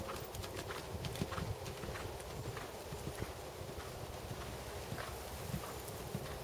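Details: Seven-year-old black Percheron/Thoroughbred gelding, 16.2 hands, trained to second level, moving in dressage; quick even clip-clop of hooves throughout, soft thuds with brighter clicks on top.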